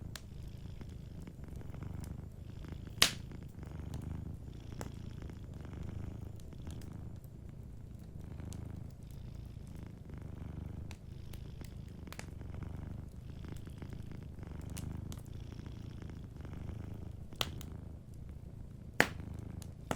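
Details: Soft, continuous purr of a domestic cat dozing near a warm fire. The deep rumble pulses steadily in breathing rhythm throughout, and three sharp crackling pops from the fireplace punctuate it.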